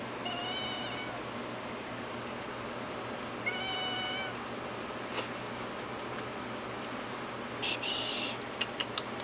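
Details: A pet cat gives two short, fairly high, steady meows about three seconds apart over a constant hissing background, followed by a few clicks and soft knocks.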